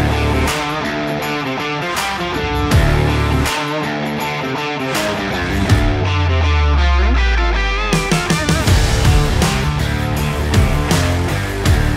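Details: Loud rock music with driving electric guitar and drums plays throughout, swelling briefly midway; no animal sound is heard.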